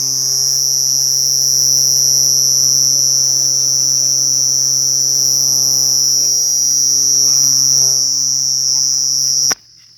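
A cricket gives a steady, high-pitched continuous trill with a faint low hum beneath.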